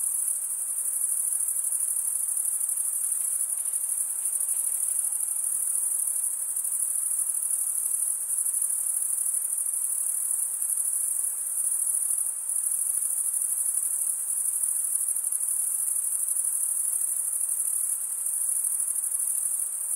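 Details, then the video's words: Continuous shrill chirping from crickets, the wing-rubbing stridulation of males, holds one high, even pitch without a pause, with faint pulsing in strength and nothing else audible. "cricket sound"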